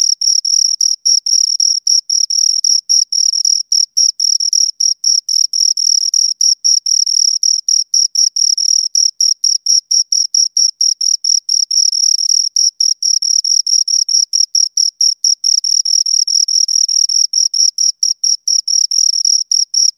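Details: Two crickets stridulating steadily: dense, high, scraping chirps around four per second, the two rhythms interleaving into an almost unbroken shrill pulsing throughout, clean and quiet background.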